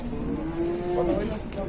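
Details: Cattle being taken to market in Indonesia, described as sulking and angry because it has not yet been fed; a short, low, steady moan rises briefly at its end, over traffic rumble and human voices.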